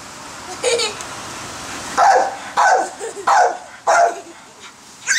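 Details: Female pit bull barking in a backyard while people play with a giant bubble maker; a higher yelp first, then four loud barks about half a second apart over a steady noisy background.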